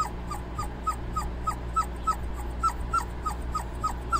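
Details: Dobermann puppies cooling off beside their mother, giving short high whimpers in a steady series about three per second, each a brief descending squeak, over a constant low hum.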